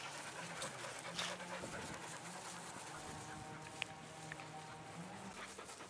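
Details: Australian Cattle Dog, one of three female dogs relaxing in a backyard in fine weather, panting in quick, breathy rasps at an uneven rhythm, about 105 per minute, with a faint low hum and light background noise.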